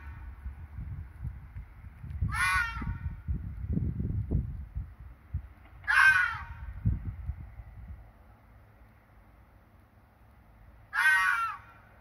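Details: Red fox at night in breeding season, screaming to confirm territory against rivals: three hoarse, strained, rising-and-falling shrieks, each about half a second, spaced roughly four seconds apart, with low rumbling noise early on and a still background.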